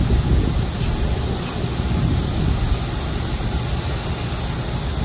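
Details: Cicadas in midsummer during a nationwide heatwave, a steady high-pitched continuous hiss-like drone held without a break, under strong low rumbling wind or traffic noise.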